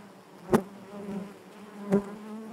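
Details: Honey bees buzzing inside their hive: a steady low hum with a layered drone, broken by two sharp clicks or taps about a second and a half apart.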